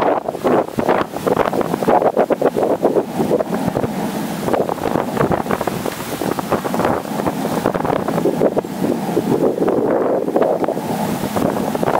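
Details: Heavy wind buffeting the microphone throughout, with no animal sounds audible.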